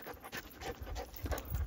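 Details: Jindo dog, nine months old, panting during a walk: quick regular breathy huffs roughly every third of a second, broadband and airy over low thumping footfalls.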